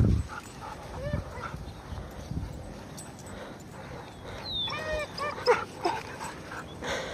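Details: Benelli, a male German Shorthaired Pointer, hesitating at the edge of a pond over a floating stick; short harmonic whines, several in quick succession near the end, with a thin descending whistle and low rumbling background noise.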